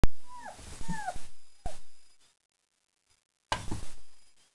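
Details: Four-week-old German Shepherd puppies just after a meal of kibble, yogurt, nutritional yeast and raw chicken, giving a few short falling whines early on, then thumps and rustling, a silent gap, and a final burst of shuffling noise.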